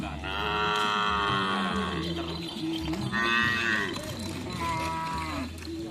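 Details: Cattle at karapan sapi (bull race) training on the Asemanis field in Pamekasan, giving long drawn-out moos with rich harmonics. One call near the middle rises in pitch, a shorter one follows, and a murmur of people and noise carries beneath.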